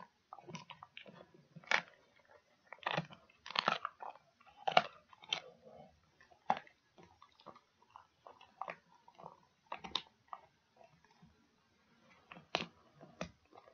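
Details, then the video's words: Pet dog gnawing on a pig ear indoors, with irregular moist crunching and snapping bites every second or so, a few louder cracks and softer squelching chews in between. "Dog Chewing Pig Ears"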